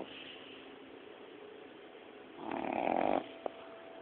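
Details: Boston Terrier puppy, female, 9–10 weeks old, snoring at naptime: one rough, rasping snore after a few quiet seconds.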